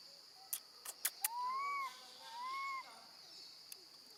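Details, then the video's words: Baby monkey left alone with her gentle grandmother, screaming loudly and calling for her mother: two drawn-out, clear, whistle-like cries that rise and then fall, after a few sharp clicks, over a steady high insect buzz. "Baby monkey screams loudly, calling for her mom when left alone with her gentle grandma"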